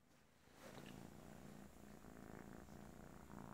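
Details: Kitten purring steadily like a freight train indoors, a continuous low rumble with faint pulsing after a quiet start, a soft voice nearby.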